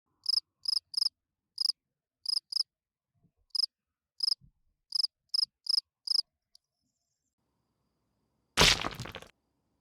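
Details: Field cricket singing at night, a calling song meant to attract females: crisp, high chirps of a few quick pulses, repeated at uneven intervals for six seconds, then silence broken by a sudden loud crackling burst.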